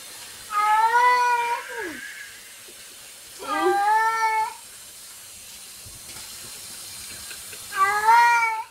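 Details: Domestic cat making what are described as weird noises: three drawn-out, wavering meows with rich harmonics, the first two bending downward at the end, separated by pauses of about two and three seconds, over faint steady background hiss.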